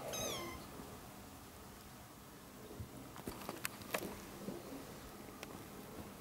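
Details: One of four one-month-old ginger kittens with their young mother cat, a former stray taken in while pregnant. A single high, thin, falling meow opens, followed by quiet rustling and scattered clicks.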